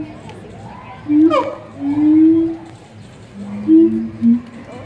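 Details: Siamangs at the Columbus Zoo in May 2017 call with low, drawn-out hoots and a quick swooping whoop that rises and falls.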